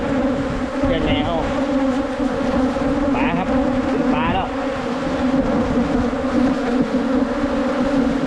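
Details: Many wild Asian honey bees humming continuously at a nest during a 2022 honey hunt, a thick steady drone overlaid by a few short chirping sounds early on.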